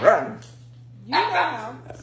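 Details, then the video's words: Pet Siberian Husky talking back at home while being told to say please for ice cream: a short wavering yelp, then a longer rising and falling howl-like grumble, with a steady low hum behind. "Funny Arguing Husky Videos! Dog Talks Back So Funny!"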